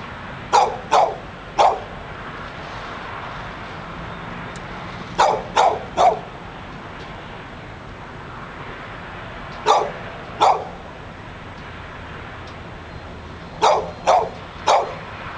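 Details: Persistent dog barking in front of a Barnes and Noble in Pleasant Hill, California; clusters of two or three sharp barks recur every four seconds or so, with low outdoor traffic rumble between.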